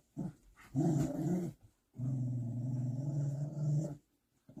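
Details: Oversized puppy growls near its mother, whom it respects; a short low growl, then a louder rumble of about a second, then one steady deep growl lasting about two seconds.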